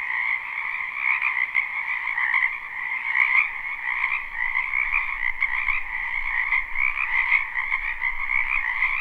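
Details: Live spring wetland recording of numerous frogs, a steady wall of overlapping croaks with pulsing, trilled texture, the higher band dominant, gentle rises and dips in loudness, faint low rumble now and then.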